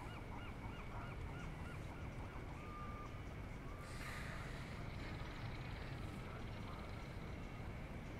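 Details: Sunbathing California sea lion gives a short burst of quick, honk-like barks at the start, then scattered fainter notes, with steady low background rumble throughout.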